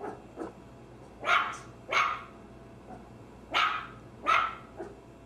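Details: Maltese barking at a moderate distance: four loud, sharp barks in two pairs, with fainter small barks between them.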